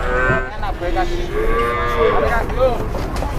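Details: Jumbo cattle bellowing while being pushed and loaded by several people, several moaning moos with bending pitch in quick succession, engine hum and speech around it.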